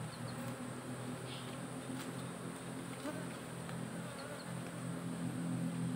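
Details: Colony of honey bees in a managed hive box, part of modern smartphone-monitored beekeeping; dense, even hum of many bees with rich layered tones that grows louder toward the end, a few faint clicks over it.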